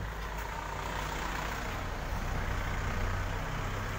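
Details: A truck engine idles and rumbles in a dense, steady roar, with no animal sound.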